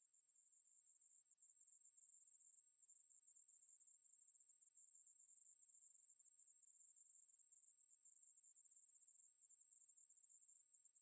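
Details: A Ruspolia katydid's steady high-pitched buzzing song swells in over the first second, then continues as one uninterrupted, even, hissing trill. The background is otherwise quiet.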